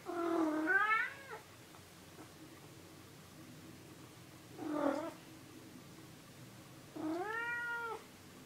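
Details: Pet cat meowing three times, a rising-falling harmonic meow at the start, a short one near five seconds and a long, steady, drawn-out meow at seven seconds, in a quiet room.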